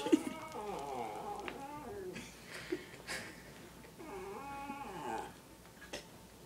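Italian Greyhounds give wavering, high whines that rise and fall in pitch, in two long bursts.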